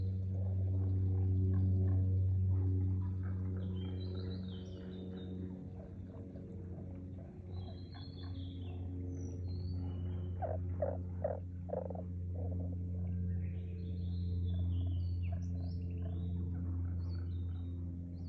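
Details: Frog croaks recorded in Aoba no Mori green space on 4/5/2024, a quick burst of about five knocking pulses midway, set against a constant deep hum and scattered high, thin birdsong whistles.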